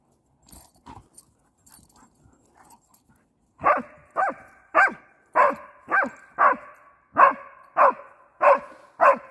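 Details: Kangal Aslan and Doberman Neela, best friends reunited after a while apart, playing like puppies; a few soft scattered sounds, then a steady run of loud, harmonic barks about every half second.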